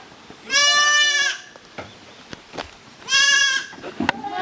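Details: Goat kids of Koharu and Okayu romping in two teams on the exercise ground of Yoshigake handmade goat farm, 13 June 2023; two strong, bright bleats about two and a half seconds apart, with soft clicks and taps in between.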